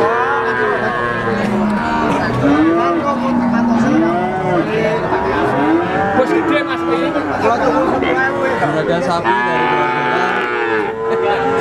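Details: Young calves about three months old, Simmental, Limousin and Pegon crosses, held together for sale. A chorus of wavering, arched moos overlaps continuously, some sliding up then down, over a constant background hubbub.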